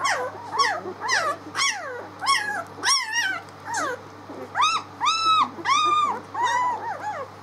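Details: Litter of six-day-old pups on 19 March giving loud, arched whines and squeals, each rising then falling, about one and a half per second, several overlapping with strong harmonics; low electrical hum beneath.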